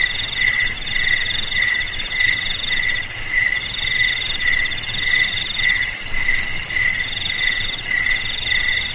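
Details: Cricket trilling put forward to frighten rats away from houses, garages, storage sheds and paddies. A sharp high continuous trill layers over a softer, lower pulsing trill that repeats in short surges throughout.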